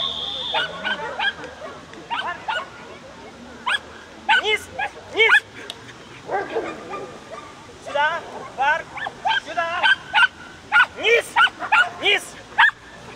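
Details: Miniature Schnauzer competing in agility at the 2017 Ukrainian championship, Cherkasy, Valley of Roses: rapid high yaps and barks with rising-falling pitch, clustered in quick runs, over background speech and crowd noise.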